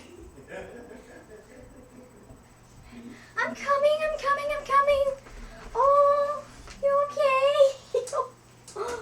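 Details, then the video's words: Frenchie Nordberg, a French Bulldog, during crate training makes funny human-like noises: after a quiet start, a run of drawn-out, wavering, moaning whines in bursts of about a second, each sliding slightly in pitch, with short gaps between them. "cute french bulldog making funny noises"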